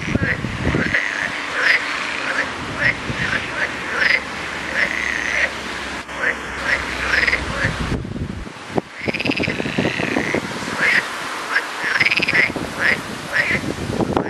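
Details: A crowd of frogs croaking at once, with repeated short twangy notes that rise and fall, packed closely over a constant hissing din; the chorus briefly thins for a moment midway before resuming at full strength.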